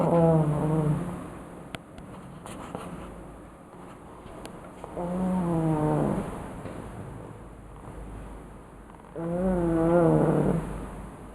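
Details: Ninna, a pet pug, snoring loudly while asleep: three tonal, droning snores with stacked harmonics, each lasting about a second and spaced roughly four to five seconds apart, with quiet breathing between them.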